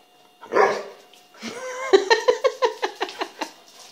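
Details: Penny, an adopted mixed-breed rescue dog that talks back when spoken to, vocalizing on request indoors: a short loud burst, then a drawn harmonic moan breaking into a rapid run of about ten pulsed, yodel-like yips.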